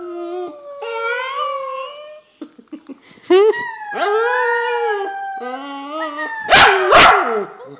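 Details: Pet dog howling as it sings along with its owner; a series of long rising and wavering howls broken by short yips, with bursts of noisy sound near the end.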